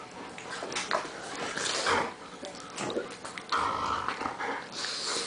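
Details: A Pug and a Bernese Mountain Dog play-wrestling indoors make rough, throaty growls and snorting grunts amid scuffling noises in a small room.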